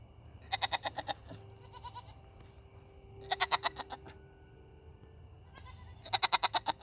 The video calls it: Nigerian dwarf goats making noise